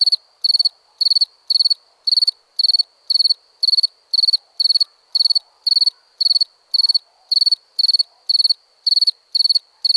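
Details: Cricket chirping at night, possibly in India: loud regular pulsed chirps close together, about two per second, over a continuous faint trill and low background rustle.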